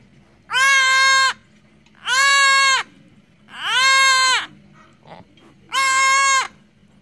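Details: A baby goat, suckling milk for the first time, bleats loudly. There are four long, nasal, wavering bleats, each lasting under a second, spaced about one and a half seconds apart. A faint short noise falls between the last two.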